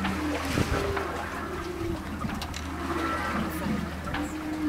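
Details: Humpback whale song heard during a whale-watching trip: low drawn-out tonal moans and short upswept units with a steady low engine hum and water noise behind.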